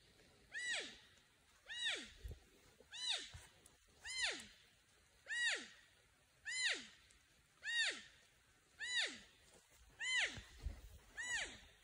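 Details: Porcupine apparently calling to a friend or mate with ten even, downward-sliding whines. Each whine is rich in harmonics and spaced about every 1.2 seconds. Faint low thumps run between them.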